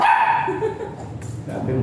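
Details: Dog at Mapandan Vet Clinic during a mating (shooter) service in which both dam and sire are still virgin; one short harmonic bark opens the clip, then low indoor background noise.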